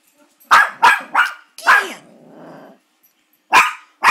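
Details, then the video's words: Maltipoo dog barking at an oil painting of a grandfather; three quick sharp barks in a row, a longer bark trailing into a low growl, then two more barks after a short pause. "barking at Grandpa painting"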